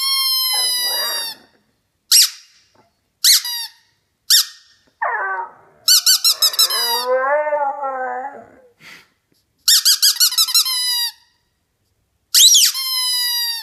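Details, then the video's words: Young puppy answering its squeaky toy in a back-and-forth exchange: bursts of shrill toy squeaks alternate with a wavering, howling whine from the dog lasting about three seconds, followed by more squeaks. "Un chien répond à son jouet"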